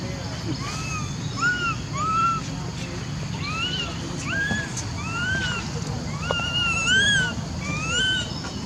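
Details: Monkeys giving a steady series of clear, arched whistle-like calls, each rising then falling, with one voice answering another roughly every second over a constant low rumble of background noise.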